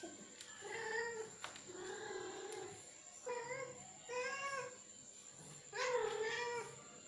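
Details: Male cat pressing a female to mate, uttering a string of long, moaning yowls, each about half a second to a second, rising and falling in pitch with short gaps between, over a constant high whine.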